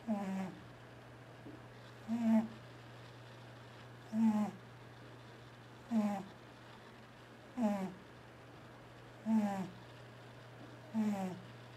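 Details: Sleeping pet cat T-Jay snoring loudly, twitching while dreaming: short rough snorts repeat about every 1.8 seconds, seven in a row, each a buzzy rasp, with a constant low hum in a quiet room between breaths.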